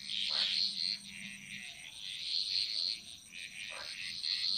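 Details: Bali jungle frogs calling together: a continuous high, buzzy trilling chorus, broken by two short lower croaks, one early and one late.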